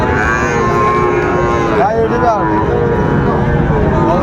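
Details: Sahiwal bull calves at Raniganj market in Dinajpur, Bangladesh, on 2 May 2024: a drawn-out wavering moo rises and falls against loud crowd chatter and market bustle.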